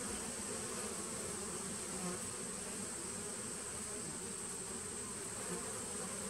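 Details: A nuc of honey bees from 2017, heard in September 2018, buzzing in a thick unbroken hum, its low pitch steady throughout, over a thin constant high-pitched tone.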